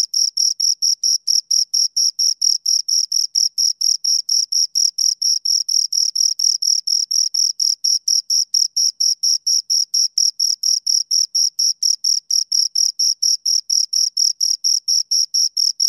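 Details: Steady chirping from two crickets heard close, a long unbroken series of short shrill pulses repeating several times a second in a rigid rhythm, nothing else audible.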